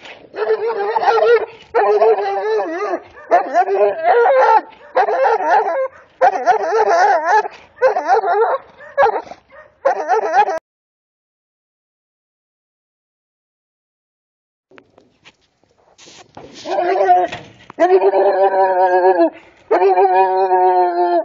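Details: Serbian defense dog puppies aged two months and eight days, 75% Serbian defense dog and 25% American bulldog, barking while defending territory and reacting to provocation. Rapid barks repeat for ten seconds, a silence follows, then bursts of louder, ringing barks.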